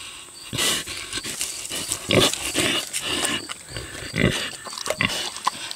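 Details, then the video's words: Six-year-old boar pig chewing tomatoes: a short run of loud, broadband wet smacks and slurping bursts roughly every half second, fuller and lower than plain clicks, over a faint steady hiss. "Boar Pig Eats Tomatoes - ASMR / Smacking Sounds"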